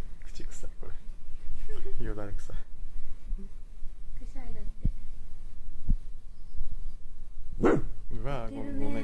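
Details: Nonno, a female Kaninchen Dachshund, venting frustration at home during a stay-home emergency declaration. Scattered short barks mix with a woman's speech, ending in a loud bark and a second yap near the close.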